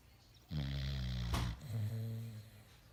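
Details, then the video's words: Sleeping dog lying with its tongue out, snoring: one deep, rumbling, harmonic snore lasting about a second, a brief noisy catch, then a softer, lower drawn-out snore on the next breath. "Cute Snoring dog with tongue out!!"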